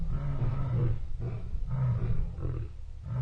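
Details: A lion on an African game farm gives deep, rumbling roars in quick grunting pulses, low and heavy, with a faint background hum.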